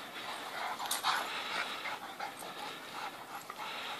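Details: A white dog playing in the morning with another dog, panting in quick, breathy bursts with scuffling play noises and faint jingles.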